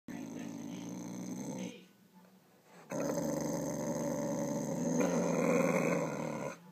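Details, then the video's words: Pet dog wearing a cone, acting aggressive, gives a low continuous rumbling growl with a short pause near the middle, then resumes steadily for several seconds. "Vicious dog"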